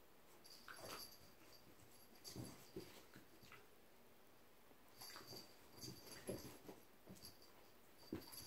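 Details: A Corgi play-fighting with a kitten makes soft, wheezy huffs and snorts in brief bursts, with a few faint whimpery notes.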